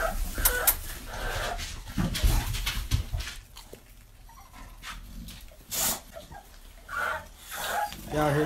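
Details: XL American Bully puppies give short, high yips, whines and barks between stretches of a man's talking. American Bully.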